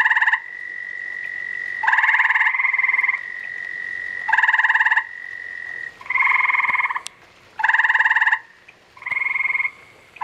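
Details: Spawning gray tree frog pair calling: repeated bright, buzzy trilled bursts, each roughly half a second to a second, separated by short gaps, with a continuous thin high tone running beneath.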